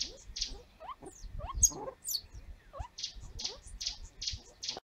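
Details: A banded mongoose baby, seemingly paralysed and suspected to have a viral infection, one week on, gives thin, rising squeaks mixed with rapid, high chirps; recorded 28 November 2015.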